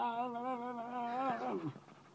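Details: Archie, a pet dog known for 'talking', gives a wavering, warbling howl-like whine that trembles steadily, then slides downward and fades. Laughter and an amused voice follow.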